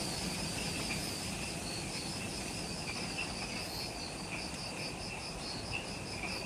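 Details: Insects in the Ishigaki Island forest, Okinawa, Japan, at twilight just after sunset: evenly spaced high chirping pulses with a softer lower pulsing band, against a steady low background hum.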